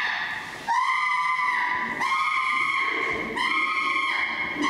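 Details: Flynn, a chimpanzee, screams his lungs out at Jambo with teeth showing, loud drawn-out shrieks repeated three times almost without a break, each strained and steady in pitch.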